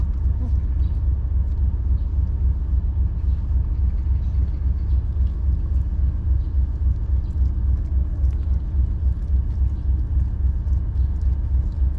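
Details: Steady low rumble of passing road vehicles fills the recording, with faint scattered clicks above and no animal voice standing out.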